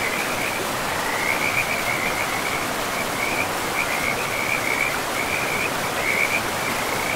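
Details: Chorus of frogs beside a forest river, thin rapid pulsing trills in bursts that rise and fade every second or so, half buried under a loud, even roar of running water.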